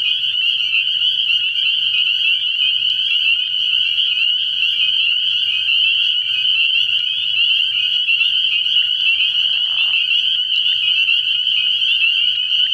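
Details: Spring peepers calling in a dense night chorus at a frog pond early in the year; countless high, piping peeps blend into one steady shrill ringing with no pause, a brief lower smudge near ten seconds.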